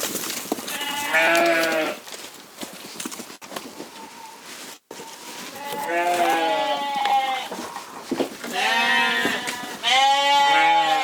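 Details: Corriedale sheep on a Canadian farm giving several separate bleats, short wavering calls in bursts around seconds one, six, nine and ten, with quieter gaps of background noise between them.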